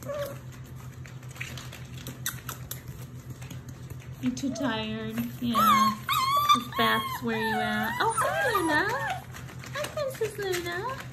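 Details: German Shepherd/Labrador/Rottweiler mix puppies in a litter whimper and whine indoors, pitch sliding and wobbling through a run of overlapping cries in the second half, with quiet voices and a low hum behind.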